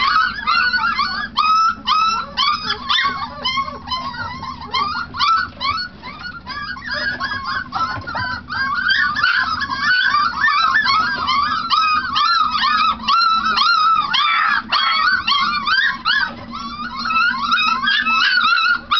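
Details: Several four-week-old Treeing Tennessee Brindle pups treeing on a food bowl, a dense overlapping chorus of high, rising-falling yips and squealing bawls, roughly two a second, with no pauses.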